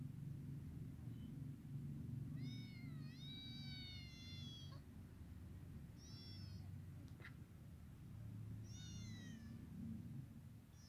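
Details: Three-week-old kittens free outside beside their mother give repeated high, quavering mews in short bursts, one drawn-out call near the start followed by shorter ones, with a sharp click midway and constant low background hum.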